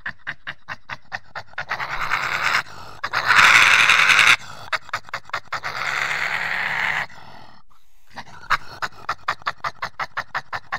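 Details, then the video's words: Badger giving rapid rhythmic grunting pulses, about four per second, broken by two longer harsh, rasping screeches mid-recording, then returning to quick even pulses. "What does a Badger sound like?"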